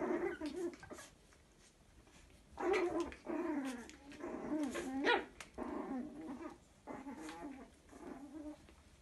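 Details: A litter of toy Chihuahua puppies, two males and a female, in Salerno, give small growls, yips and whimpers in bursts while playing.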